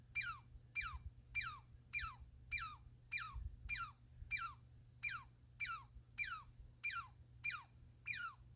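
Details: Squirrel calling in a rapid regular series, roughly every 0.6 seconds, each note a squeaky high tone sliding steeply downward, with a low background hum.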